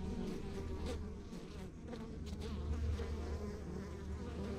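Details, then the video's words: Steady deep drone from honey bees in a backyard hive in the countryside, many wings layering into a continuous throbbing hum with faint passing buzzes. "Relax to the Sounds of Our Backyard Buzzing Beehive"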